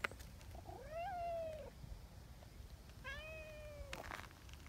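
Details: Nyahha, a tabby community cat in Japan, meows after seeking affection: two drawn-out harmonic meows, the first rising then falling, the second level and gently descending, with faint rustling and a brief scuffle at the end.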